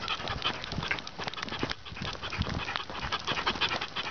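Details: Rip the Dachshund panting on a long walk of six miles or more, his 49th straight day; quick breathy huffs about three per second, uneven, with footsteps and rustling outdoor noise underneath.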